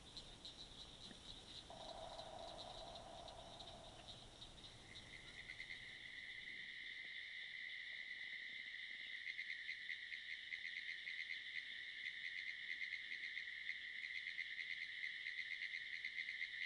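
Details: Pine woods tree frog. A pine woods tree frog calls with a fast, dry, clicking rattle, high and unbroken, holding on for many seconds. A lower, brief buzzing sound shows up early on against a faint background hum.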